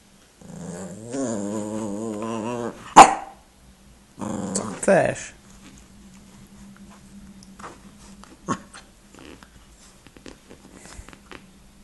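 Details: Indy the pet dog, wanting to play after a meal, utters a wavering growly moan, a loud snap, then a second shorter grumble, followed by quiet indoor rustling and faint clicks.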